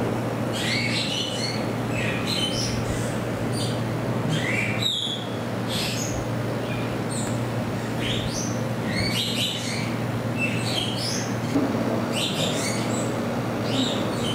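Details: A group of degus (Octodon degus) at Saitama Children's Zoo, Japan, on 15 September 2020 chirps in rapid, overlapping high squeaks over a steady low hum.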